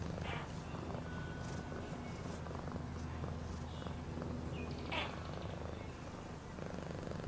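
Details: Cat purring in a deep, steady rumble with rapid pulses, joined by occasional light scratchy sounds and a brief higher squeak near the end.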